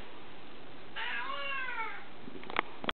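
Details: House kitty answering its owner with a long, arched meow that rises then falls, likened to saying "momma", followed by a few sharp clicks and taps in a quiet room.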